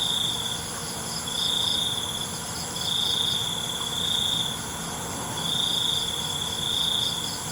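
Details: Crickets at night repeat a high, ringing trill in bursts of roughly one second, alternating with short silences, against a steady background drone of insects.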